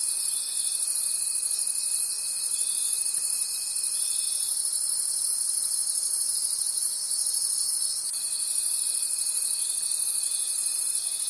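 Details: Many crickets calling in a forest at night, a shrill chorus beating about three times per second, with a faint steady tone that stops midway and resumes after eight seconds.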